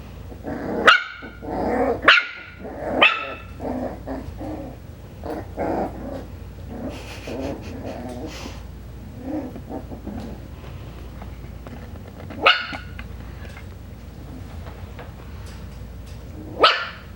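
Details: Five-week-old Coton de Tulear puppies, Hannah's litter, exploring outside the kennel on a slippery floor, bark in short high yaps, a cluster of three at the start and two more later, with murmured voices and shuffling between.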